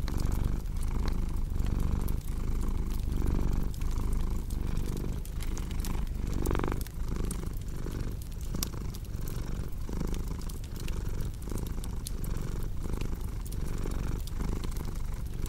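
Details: Cat purr as a soft low drone beating in regular breath pulses, partly covered by busy fireplace crackling, with one brief louder rustle midway.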